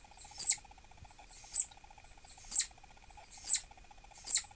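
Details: Irritated pet southern flying squirrel Dahan, a presumed pregnant female, gives five shrill, high-pitched chirps at about one-second intervals, each a quick sharp burst, over a quiet humming background.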